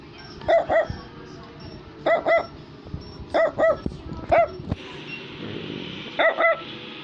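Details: Brussels Griffon barking indoors in quick double yaps, high and clear with bright harmonics, pairs of barks repeated roughly every one to two seconds, with faint music underneath.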